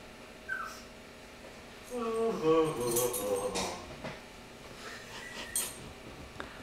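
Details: Pug puppy crying because he wants his brother's food, indoors in a small room; a single drawn-out whimpering whine with stacked harmonics lasts about two seconds mid-clip, between a few faint clicks and rustles.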